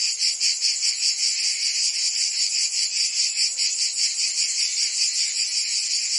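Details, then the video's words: Cicadas singing through a Provence summer in France, their sharp, sizzling chorus swelling and fading in quick regular pulses about every half second. "Cicadas singing in France (Provence)"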